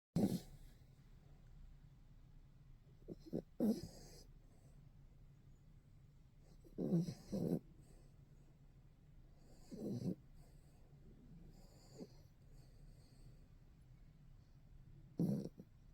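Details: Pet dog snoring loudly: harsh, rasping snore bursts at irregular intervals of about three seconds, some doubled, separated by quiet steady breathing and low room hum.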